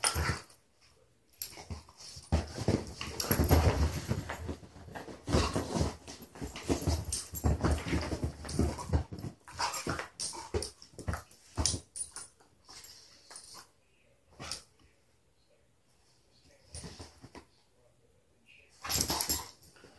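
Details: Two beagles, Mitzi and Lucky, both alumni of SouthEast Beagle Rescue, playing together on a couch indoors; rough broadband growls and grunting bursts come in dense irregular runs, with scuffling and quieter gaps between the rougher outbursts.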